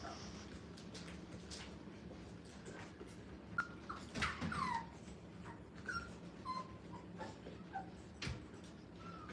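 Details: Five-week-old Brittany puppies playing in a playpen for the first time indoors, giving brief high squeaky whimpers scattered through the clip, some sliding downward, over soft thumps and rustling of movement and toys.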